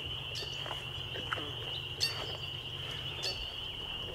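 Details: Spring peepers call together in a steady, high, shrill chorus over a low background rumble on a May 2021 evening at Laurel Creek Conservation Area, Waterloo, Ontario, Canada.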